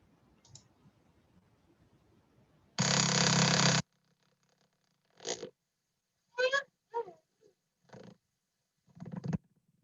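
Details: Harbor porpoise echolocation clicks recorded from a tagged porpoise during a prey capture experiment, slowed to audible pitch: clicks, a faster series forming a terminal buzz, then slower clicking after catching a fish.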